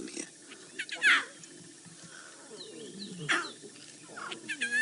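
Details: Nkuhuma pride lion cubs at a buffalo kill, about 10 metres away, on 22 August 2016, give short mewing calls twice, a couple of seconds apart, calling their mother. A man talks quietly and pied crows call behind.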